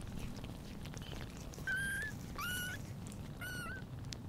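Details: Tiny British Shorthair kitten Pudding, born 11/09/2022, on its first day with mother Sunny, gives three short high-pitched mews, the middle one swooping upward, against a faint indoor hiss.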